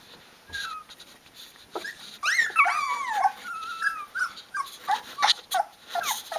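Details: Sixteen-day-old Rhodesian Ridgeback pups, eyes open, cry for their mother to feed them; several overlapping high, wavering whines and sharp yelps build into a busy chorus.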